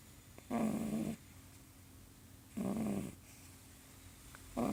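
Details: Sleeping pug puppy snoring: loud rough breaths in about every two seconds, each lasting roughly half a second, separated by quiet pauses in a small indoor space.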